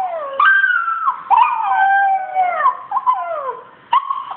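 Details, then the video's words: Australian Shepherd Kålle answering a Rottweiler puppy online: sustained, wavering howl-whines that slide slowly downward, several overlapping breaths with brief sharp onsets. "Kålle reagerar på valp."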